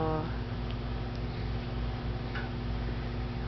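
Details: Steady ticking over a low indoor hum, with a faint murmur of speech and no animal voice.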